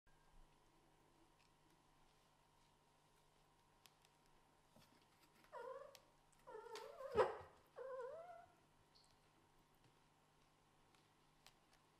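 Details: Small kittens, offspring of a Scottish Fold mother and a British Shorthair father, squabble over a bed. A quiet stretch gives way to a cluster of bent, wavering meows midway, with one sharp louder cry, then silence.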